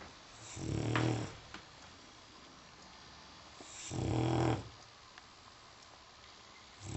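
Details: A sleeping dog indoors snores in slow, low, rasping breaths, one long rumbling snore roughly every three seconds, with quiet pauses between.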